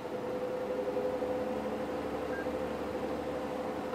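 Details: Steady broadband engine rumble from a vehicle during a sunset safari drive at Sabi Sand, with no animal voice heard.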